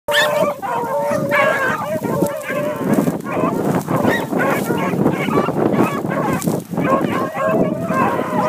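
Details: Young hunting dogs running a cottontail rabbit, giving a dense chorus of overlapping drawn-out bawls and barks from several dogs at once, continuous throughout with little pause.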